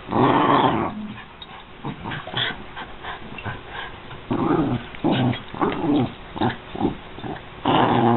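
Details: American Eskimo Dog giving drawn-out, harmonic growl-like vocal bursts, loud at the start and end, with quieter rumbling and clicking noises in the gaps between them.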